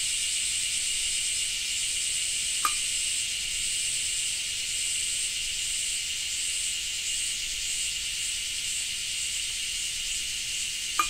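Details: Cicada chorus from Japan in rain: a continuous high buzzing hiss with slight pulsing in its upper band and two brief clicks, one early and one at the end.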